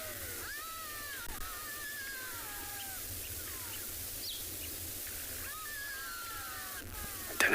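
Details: At evening near sunset on 24 June at a waterhole in Tswalu Kalahari Reserve, South Africa, many black-backed jackals give territorial and contact calls: high, thin, downward-sliding wails overlapping in two bursts over a low steady hum.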